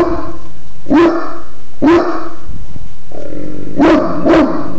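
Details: Deep, punchy barks from Godric the dog come roughly once a second, then a pause, then a quick double bark near the end. A low steady hum runs underneath.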